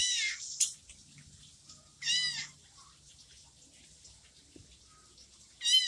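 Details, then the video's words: Orange kitten left by its mother meows three times, loud, high and wavering, spaced roughly two to three seconds apart in a quiet setting. "anak kucing oren di tinggal sama induknya"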